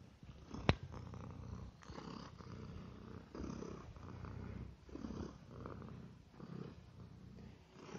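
A domestic cat purrs steadily, a low rumbling throb that swells and fades with each breath.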